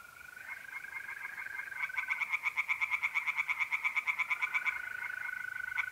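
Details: Tree frogs singing in a pond on an April night in north-eastern Italy: a rapid, even series of harsh pulsed croaks builds mid-clip over a steady, high continuous trill of mole crickets.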